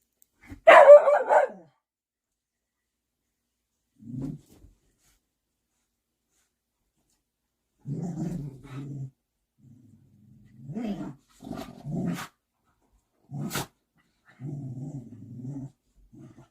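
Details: Big puppy with its mother dog, the young one deferring to her; a sharp bark opens, then short low rumbling growls come in bursts of about a second, separated by quiet gaps.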